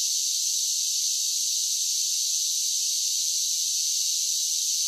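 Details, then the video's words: Summer cicada chorus: a dense, even, high shrill buzz that runs without pause or change in loudness for the whole stretch. "Cicada Sounds"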